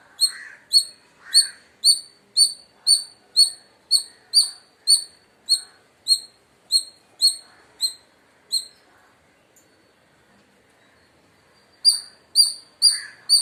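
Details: Loud chirping from an Indian palm squirrel: a long run of sharp, high, clipped notes at roughly two per second, then a silence of about three seconds before the rapid chirping resumes. Faint lower twittering sounds lie underneath.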